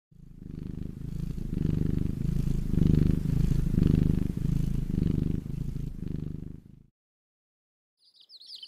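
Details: Cat purring: a deep, steady, rumbling purr that pulses with each breath for about seven seconds, then stops. Faint high chirps enter at the end.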